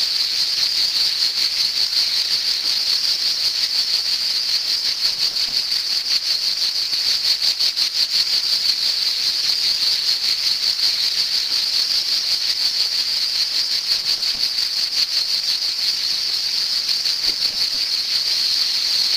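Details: A cicada gives a loud, unbroken buzzing summer song, a high, dry whirr that holds steady throughout.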